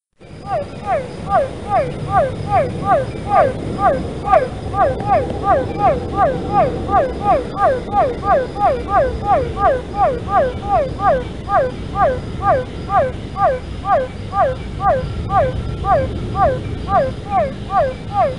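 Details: Cuvier's foam froglet, Physalaemus cuvieri, at the São Paulo Botanical Garden, Brazil, on 12 December 2018: a rapid run of short, mewing, downward-sweeping notes, around two and a half per second, slightly uneven, rising in loudness at the start.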